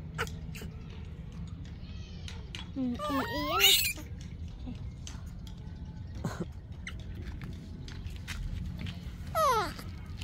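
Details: Screaming infant monkey, Yaya's baby, begging for Yoyo's milk; a wavering, rising-then-falling shriek near four seconds and a shorter downward scream near the end, with people speaking nearby indoors.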